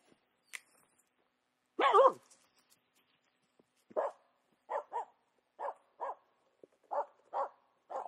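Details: Finnish Spitz female hunting a squirrel in a tranquil spring forest; one loud wavering yelp, then a string of short sharp barks, often in quick pairs, roughly every half second to second, in otherwise quiet woods.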